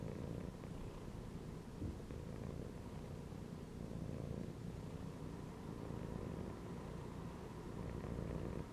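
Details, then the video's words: Relaxed cat lying in a gym belt purrs continuously, a deep buzzing rumble that rises and falls with each breath about every two seconds, indoors and otherwise quiet. "CAT CHILLING PURRING AND MEOWING INSIDE THE GYM BELT"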